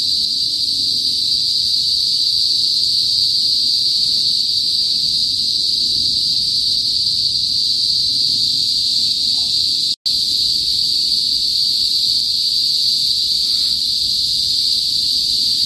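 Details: Loud shrill drone of Philippine cicadas (kuliglig) in a northern provincial area of the Philippines, typically before sunset; the hiss-like whine holds steady throughout, with one instant break midway.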